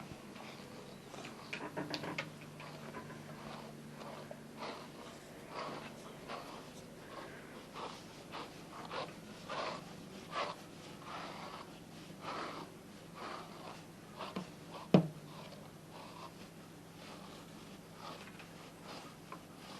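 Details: Bundy, an Australian Shepherd, a regular grooming customer, pants during his bath at a grooming salon. Quick breathy bursts repeat steadily over a low mechanical hum, and one sharp knock sounds near the fifteen-second mark.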